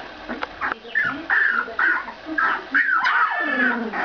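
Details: Two-week-old Ca de Bou puppies squeal and whimper in quick, overlapping high, wavering cries, about two a second, each sliding up and then down, with brief gaps between bursts.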